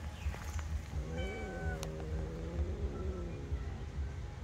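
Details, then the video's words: Angry cat up in a tree, giving a drawn-out, wavering meow that rises then slowly falls over about three seconds, over a steady low rumble of background noise. "Sounds of an angry cat in a tree"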